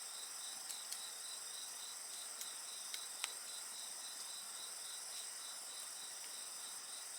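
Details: Night insects sing a continuous, shrill chorus of rapid pulses, about three per second, over layered steady high tones, with a few soft crackles from a nearby bonfire.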